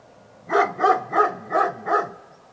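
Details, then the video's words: Five evenly spaced, sharp dog barks in quick succession, each bright and harmonic, against near silence. "Dog Barking"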